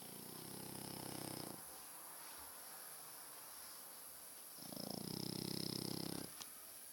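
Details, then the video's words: Loud snoring from a sleeping French Bulldog in a home with two of the breed; two long rattling, buzzy snore breaths a few seconds apart, separated by quiet breathing, with a faint click near the end. "Massive snoring frenchbulldog!"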